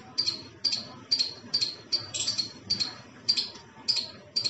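A squirrel gives sharp, high chips, repeated about twice a second in an uneven series.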